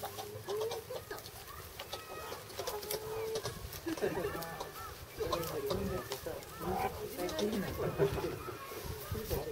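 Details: A group of meerkats brawls at Yokohama Zoo Zoorasia in March 2017, letting out overlapping squeals, clipped chirps and rasping chatter that rise and fall in quick bursts, with human voices murmuring faintly in the background.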